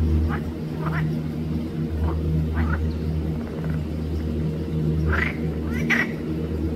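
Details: Pelophylax green frogs calling at Arboretum Volčji Potok, 5 June 2024: several short rasping croaks, spaced irregularly and loudest near the end, against a constant low-pitched droning hum.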